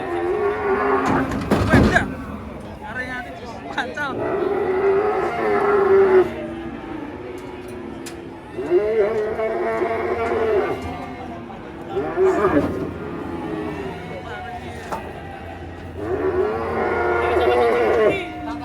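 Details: Cattle in Indonesia, said to be enraged while being unloaded from a truck, bellowing repeatedly: five or so long, loud moos spaced a few seconds apart, with clatter, bangs and faint voices around them.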